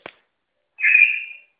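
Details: Lili, a female Poodle, whines to ask for affection: one high, steady, thin whine of under a second, nearly whistle-like, between brief soft clicks, in a quiet room.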